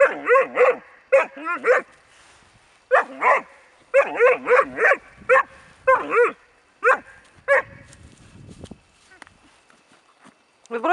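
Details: Four-month-old Bracco Italiano puppy barking in bursts: sharp, high, ringing barks in quick pairs and triples, with short pauses between groups and a brief rustle near the end.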